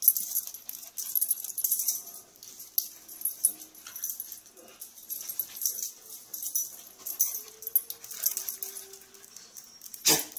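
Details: Little pet dog making steady breathy, hissing snuffles throughout, with a soft, low, drawn-out whine rising briefly near the end before a sudden sharp thump closes the recording.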